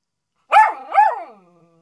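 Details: Miniature Schnauzer barking for attention: two quick, harmonic barks with a brief howl-like tail fading out over about a second.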